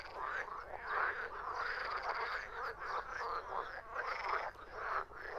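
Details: Short stretch of frogs croaking, a busy, grating chorus of overlapping calls that swells and dips every second or so.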